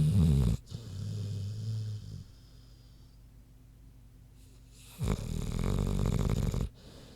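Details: Sleeping pig named Queenie snoring: a low rattling snore, a long quiet pause, then another loud, throaty rumble of just under two seconds.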